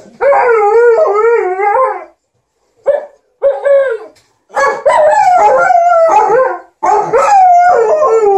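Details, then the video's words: Liza the Alaskan Malamute and TJ the Golden Retriever entertain their owner with "talk" while she irons: wavering, warbling howl-like vocalisations, a sustained modulated phrase, a pause with short yowls, then long overlapping wavering cries. "Alaskan Malamute and Golden Retriever are entertaining their hu-mum"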